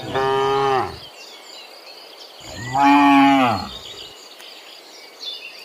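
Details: Tame cattle running in a forest give a short moo, then a louder, longer one about two and a half seconds later, deep and harmonic, with birds calling lightly in the background.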